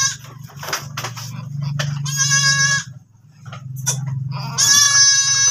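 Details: Farm goat that has given birth once more: a drawn-out trembling bleat mid-way, then a louder, higher quavering bleat at the close, with a constant low droning hum underneath.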